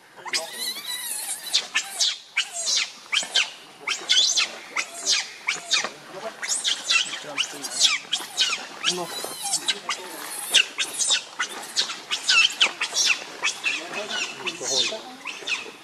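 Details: Hungry baby monkey Leo Rainbow, very angry, begging its mother for milk with a long run of piercing, high screeches, short harsh cries repeated about every half second with few breaks.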